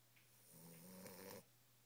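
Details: Boris, a nine-week-old Boxer puppy, snoring in his sleep indoors: one soft, rough inhaled snore lasting about a second, low and throaty with a faint nasal edge, then quiet breathing.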